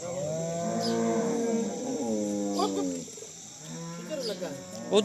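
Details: Crossbred Cholistani Jersey cow, Pakistan, March 12, 2025: a long, even, low moo lasting about three seconds, followed by a softer one near the end, over a constant high-pitched hum and faint voices.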